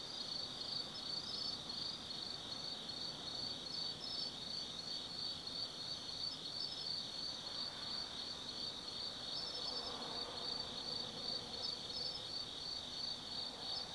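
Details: Autumn night insects at Tsukimi no Mori, Gifu Prefecture, Japan: quick, high pulsing chirps nearly three a second over a ringing trill, with a faint lower murmur of background noise rising midway.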